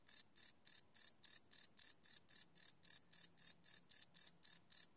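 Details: Cricket chirps at night from a live Sony PCM D100 recording: crisp, high, evenly spaced pulses around four per second, each a short shrill burst, with nothing else audible.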